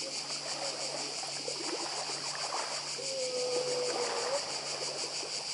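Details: Cicada chorus on the Croatian island of Badija, an unbroken high buzzing with a fast rhythmic pulse, set against rushing sea sound; midway a low drawn-out whistle slides steadily for about a second and a half.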